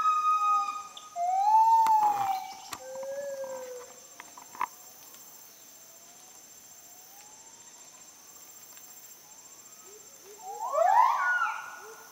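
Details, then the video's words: Wild Müller's gibbons in rainforest near Sriwangi Village, Kapuas Hulu, Borneo: falling and rising whoops with some clicks, a long quiet stretch of faint gliding notes, then a sudden loud burst of steep rising calls near the end. "The Amazing Sounds of Kelempiau, a Rainforest Animal of Heart of Borneo"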